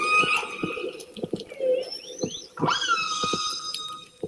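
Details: Fish-eating resident killer whales, which feed only on salmon and talk constantly to each other, give harmonic, squealing calls that rise and bend, with clicks ticking underneath; each pod has its own dialect, each clan its own language.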